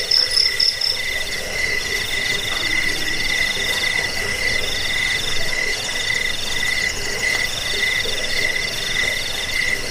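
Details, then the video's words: Cricket sound for repelling rats, bedtime listening and bird training: a steady shrill ringing chorus with fast trilled texture, several callers overlapping, plus a soft low rumble beneath the high tones. "Suara jangkik pengusir tikus pengantar tidur"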